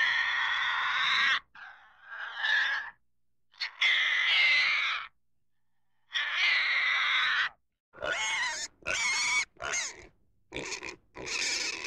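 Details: Pig letting out long, shrill squeals followed by a run of shorter, choppy squeals and grunts in rapid bursts, loud and close with clean gaps of silence.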